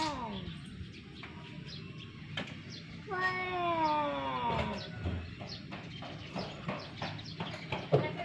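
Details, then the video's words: Domestic cats fighting: a falling wail opens, then a sustained harmonic yowl of nearly two seconds that slowly sinks in pitch, with scattered clicks, knocks and rustling around it. "Cat Fighter"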